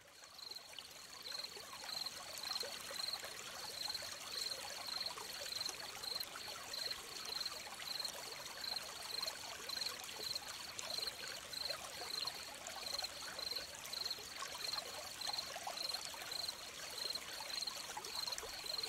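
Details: Crickets chirping beside a stream, a steady high-pitched pulsed trill of short chirps repeated almost twice a second, layered over a constant hissing trickle of flowing water.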